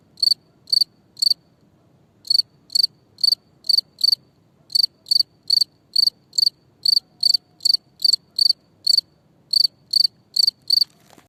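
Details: Shrill high chirps from a cricket, repeated steadily about twice per second in groups separated by brief pauses, over a quiet background.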